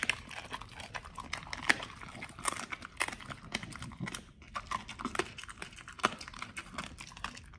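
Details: Raw meal of beef chunk, quail egg and duck wing eaten by Pit Bulls: steady rapid clicking and crunching bites throughout, fairly even in loudness with a few sharper snaps.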